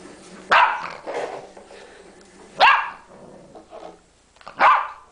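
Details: Puppy learning to bark, giving three short sharp barks spaced about two seconds apart, with softer grumbling sounds between them.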